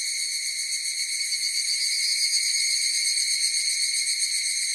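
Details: Higurashi cicada chorus: a shrill, sustained tone with a fast tremolo that swells slightly midway, then stays level, in a quiet background.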